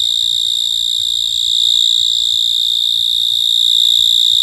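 A cricket sings a steady, shrill, high-pitched ringing trill that runs without a break.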